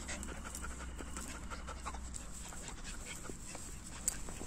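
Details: German Shepherd playing with its owner outdoors in nature; soft, rhythmic breathy panting over a steady low hum, with a few sharp clicks.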